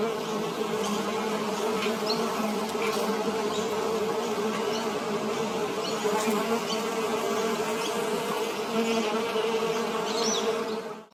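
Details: Bee working flowers for nectar, producing a constant, even buzz with a low droning tone and bright overtones, steady until it cuts off abruptly at the end.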